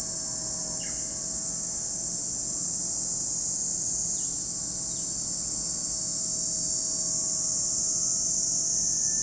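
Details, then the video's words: Lake Kamo, Sado City, Japan: a cicada chorus forms a constant, piercing high buzz without pauses, while a couple of faint short chirps surface early on over a quiet low hum. "Lake Kamo in Sado City, Niigata Prefecture, Japan, where you can hear the voice of cicadas."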